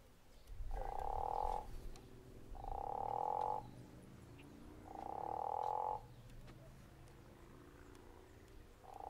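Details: Guttural toad at Zeekoevlei calling in a snoring style: deep, rasping trills lasting about a second each, repeated roughly every two seconds against a low background rumble.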